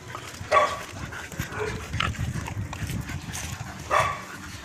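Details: Chow Chow dogs Coby and Cindy out on a walk, giving two short, sharp bark-like bursts, one near the start and one near the end, over a steady low rumble of outdoor background noise.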